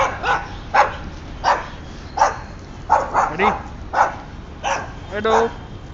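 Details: White Boxer dog in a park in July, giving spaced single barks about once every half to one second, with a person's voice briefly heard near the end.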